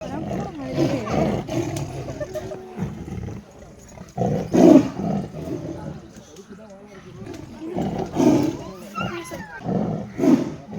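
Deep, rumbling tiger roars and growls come in uneven bursts while people talk nearby.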